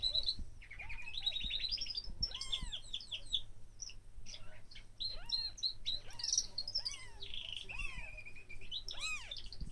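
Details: One-day-old kittens mewing: thin, high, arched mews with stacked overtones, each rising then falling, repeated roughly every second, with steady chirping of small birds in the background.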